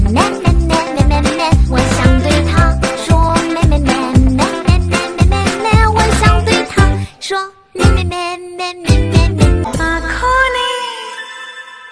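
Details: Cheerful children's pop jingle with bouncy beat and singing, a brief drop near the middle, then the tune resumes, no animal heard.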